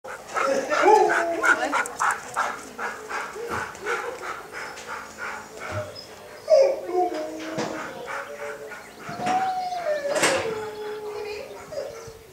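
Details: Red Standard Poodle named Razz giving a run of barks and drawn-out yodelling, howl-like vocalizations that rise and fall, louder near the start and around ten seconds, with indoor background.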